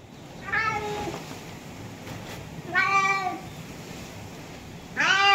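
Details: Tabby cat meowing three times, each meow a drawn-out, slightly falling tone with rich harmonics, spaced about two seconds apart, over a quiet faint background hiss.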